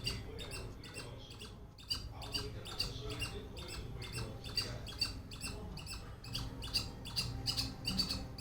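A squirrel calls with a steady series of short, dry, high chips that repeat in quick succession. A low rumble of wind or handling noise runs underneath.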